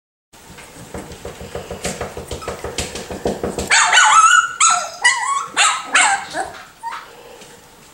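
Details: Miniature Schnauzer puppies, six and four weeks old, give a burst of shrill yelps and whiny cries, several in quick succession, following a stretch of rhythmic music.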